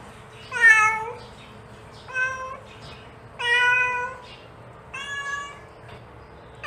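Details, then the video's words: Domestic mother cat calling to her kitten, giving four to five tonal meows with rich harmonics, the first loudest and slightly falling, repeated roughly every one and a half seconds over a low steady hum. "The Sound of a Mother Cat Calling Her Child"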